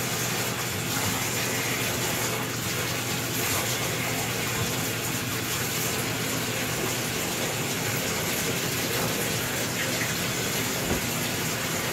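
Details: Water runs steadily from a tap into a bath, a constant gushing hiss with no animal voice.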